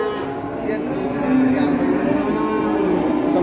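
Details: Cow in Indonesia, a huge animal drawing onlookers one morning and hauled away without haggling; a drawn-out, harmonic-rich moo swells in the second half over constant crowd chatter and background music.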